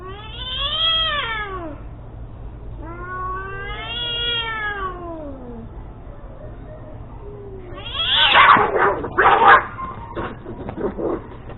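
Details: Domestic cats fighting: two long, wavering harmonic yowls rising and falling over about two seconds each, a fainter moan, then a loud burst of harsh hissing, spitting and scuffling noise near the end.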